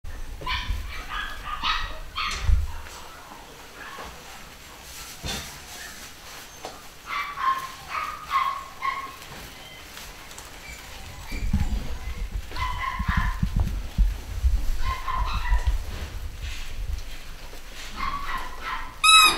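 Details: Pedigree Basset Hound puppies from a new UK litter, 2015, giving short high whimpers and yelps in scattered bursts, several overlapping, with low thumps and handling noise between them.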